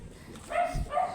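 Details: A matted Shih Tzu angry during grooming makes two short, clipped barks with a clear tone, about half a second apart, with a low thump between them.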